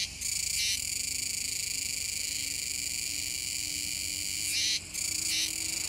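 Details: Kuroiwa's cicadas, recorded 7 September 2022 near the Kōme River mouth in Tenjin-machi, Nishinoomote on Tanegashima, Japan, give a constant intense buzzing, with a louder burst at the start and another pair near the end.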